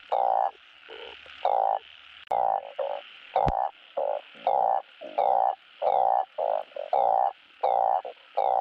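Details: Mate-calling truncate-snouted burrowing frogs, a recording used to stimulate breeding of farmed frogs. Loud, blaring croaks follow each other in quick, uneven succession, some short and some drawn out, with a brief click midway.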